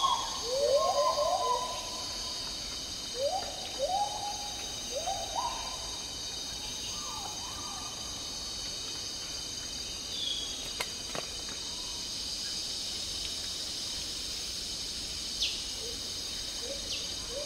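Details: In Malaysian tropical rainforest, an agile gibbon sings a run of clear, rising, swooping hoots in quick bursts before fading to softer calls, over a constant high whine of insects.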